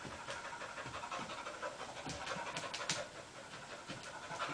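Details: Two dogs, Sophie and Ryo, playing together; steady, soft, breathy panting runs through the whole stretch with faint scattered scuffling clicks, a low continuous hiss underneath.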